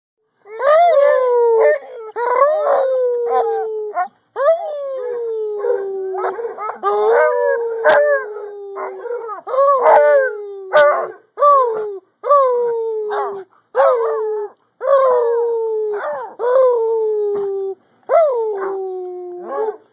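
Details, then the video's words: Pet dog baying in chorus with two other dogs of his adopted family, long drawn-out falling howls overlapping, each starting high and sliding down, repeated every second or two, with a few sharp barks mixed in. "baying with his adopted family"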